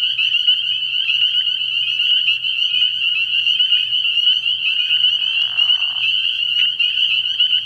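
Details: Night chorus of spring peepers at a frog pond in early spring, dense overlapping high peeps forming an unbroken shrill wall; around the fifth second a brief lower rasping trill rises beneath them, with a soft low hum throughout.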